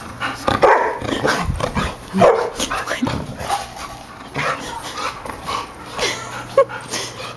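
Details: Pet shih-tzu and golden retrievers playing together indoors; short, rough barks burst out irregularly, about every one to two seconds, with loud peaks near the start and middle, over a steady low hum and scuffling.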